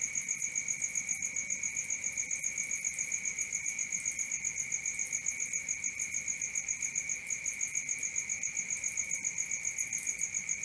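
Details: Night cricket chorus of rapid, even chirps, close to four pulses per second, high and ringing, continuous and unchanging over ten seconds with only faint background hiss.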